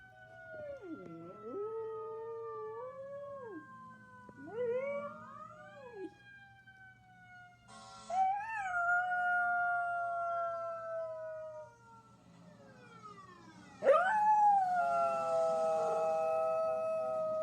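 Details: A one-year-old mixed-breed dog (chihuahua, pitbull, German shepherd, Jack Russell terrier and rat terrier) howls in response to fire truck sirens: long wavering, yodelling howls that dip and rise, in several bouts, with a steady falling siren tone in the background.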